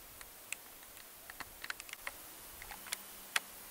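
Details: Kerik meadow katydid (Conocephalus melaenus) gives faint, dry, irregular ticks, sharp and high-pitched, over a quiet background.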